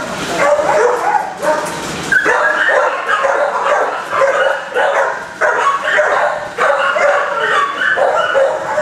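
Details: Several dogs barking in kennels, the chorus loud enough to distract a shy dog being assessed; overlapping sharp barks come in rapid bursts throughout, with many animals calling at once.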